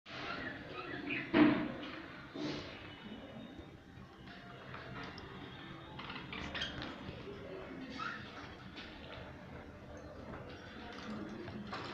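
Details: Household clatter, faint background music and soft voices, with no clear animal calls. Occasional knocks and clinks stand out over a low, steady background.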